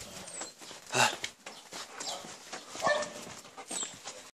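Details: Alaskan Malamute. An Alaskan Malamute vocalizes in brief, rough bursts, a strong yelping call followed by softer whining and grumbling tones. A faint human voice can be heard in the background.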